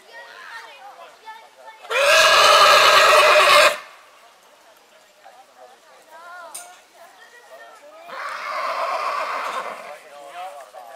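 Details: Springtime neighing from a purebred horse: a long, loud, rich whinny of nearly two seconds, a quieter stretch of wavering vocal sounds, then a second drawn-out neigh from about eight seconds on.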